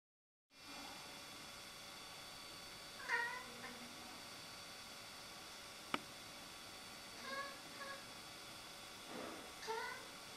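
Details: Rudy, a Siamese cat, making a fuss over a rook in the tree across the road: three bursts of harmonic, wavering meows spaced a few seconds apart, the last rising and falling, with a sharp click midway over steady background hum.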